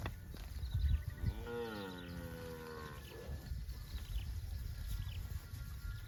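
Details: Cattle out roaming a field. A single drawn-out low moo lasts nearly two seconds, swelling upward at the start and then easing gently downward, over steady low outdoor rumble and occasional thumps.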